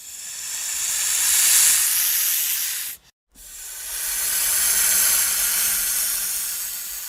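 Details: Attacking snake giving two drawn-out, airy hisses that swell and fade, split by a short silent break, with no other sounds.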